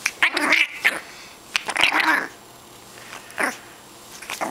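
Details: Pet dog named Tug growling indoors in a gremlin-like voice: short raspy, nasal bursts with squeaky tonal edges, coming in irregular bouts with quiet gaps between.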